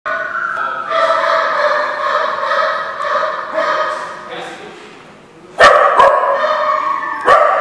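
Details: Dog barking: drawn-out, tonal, voice-like sounds, then three sharp loud barks near the end.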